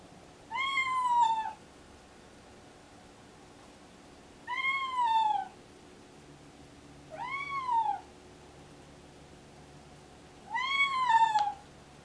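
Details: Excited, deaf pregnant domestic cat going into pre-labour, meowing repeatedly: four loud, arched meows, each rising then falling and lasting under a second, spaced roughly three seconds apart, with a low steady hum behind.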